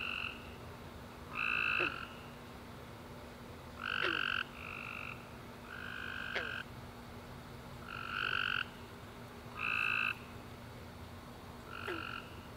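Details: Tree frogs at night after a warm rainy summer day, giving short bright trills spaced about two seconds apart, some followed by faint clicks, above a low steady hum.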